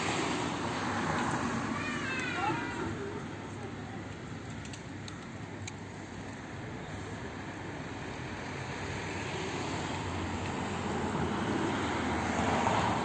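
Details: An old, toothless stray cat living in a neighbourhood front yard, hungry and running up to be fed, gives one short rising-and-falling meow early on. Steady traffic rumble from a nearby road continues throughout.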